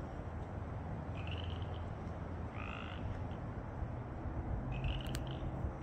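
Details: Pacific chorus frogs in Mill Creek, Washington, on March 9, 2024, give short, raspy two-part croaks over a steady low rumble.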